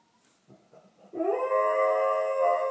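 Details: Doberman howling indoors at 8:30 in the morning along with distant emergency sirens, recorded on an iPhone: a few soft low whines, then a loud, steady, sustained howl held on one pitch.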